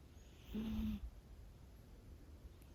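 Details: Sleeping Scottish Fold kitten, five months old and living with heart disease, gives one soft snore lasting about half a second, a breathy nasal rasp, followed by quiet, steady breathing.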